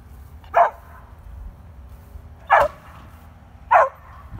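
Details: Pet beagle barking while hunting squirrels: three sharp, short barks spaced about one to two seconds apart, with a low background hum and no other clear sounds.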